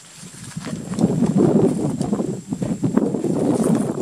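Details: Asian honey bees (Apis cerana) give a dense, low, pulsing buzz, an alarm signal that warns nestmates of danger and comes before they sting.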